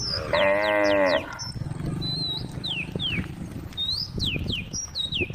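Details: Tame cows on a road calling friends; one loud, rich harmonic moo lasting under a second opens, followed by repeated high whistled, falling bird notes over low rumbling background noise.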